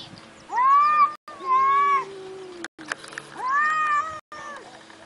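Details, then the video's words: A cat gives three drawn-out, steady-pitched meows, each about half a second long and separated by short pauses, over a faint low background hum. "Ninja Cat"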